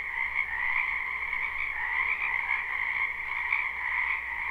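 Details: Many frogs croak together in a spring wetland behind a house, captured live without looping: a dense, unbroken chorus of rapid trilled notes in two steady bands, one high and one lower, with a faint low hum beneath.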